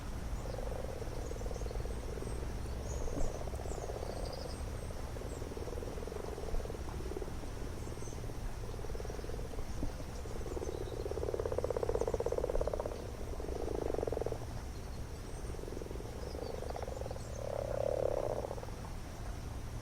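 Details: Spawning common frogs crowded in a garden pond, males riding on females as other males try to mount them, filmed at close range; rounds of low, rattling purr-like croaks rise and swell, louder clusters near the end, steady low hum beneath.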